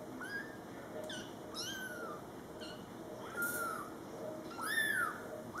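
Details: Young Scottish Fold kittens, born July 22, 2012, in their first month of life with mother cat Coco, meowing: several high, thin, arching meows rise and fall in quick irregular succession over a quiet indoor background.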